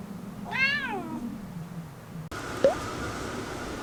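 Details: House cat, one of five indoor cats sheltering at home as Typhoon Lingling passed, gives a single clear meow that arches up then slides down, followed by a sharp click and steady background noise.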